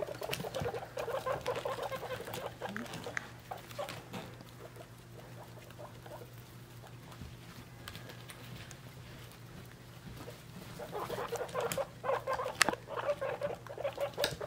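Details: Three-week-old domestic guinea pig babies together with their mother: short, soft squeaky calls in quick irregular bursts at the start and again near the end, with rustling and pattering of movement and a steady low hum throughout.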